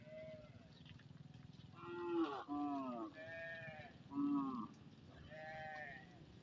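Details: Herded cattle heading home along the field margins of a village, part of a very large herd; a series of harmonic, nasal moos, several short ones falling in pitch, over a steady low rumble of movement.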